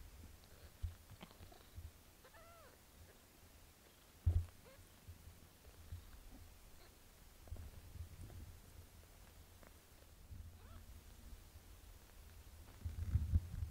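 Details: Domestic cat kitten Pinky being bathed by her mother Melania gives a few soft, thin, arched mews, some in short pairs, over low rumbling handling and licking noise, with brief bumps and quiet background sounds.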